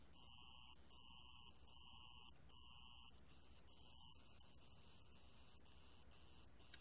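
A sand ground cricket gives a high, shrill, continuous trill in long bursts broken by brief pauses.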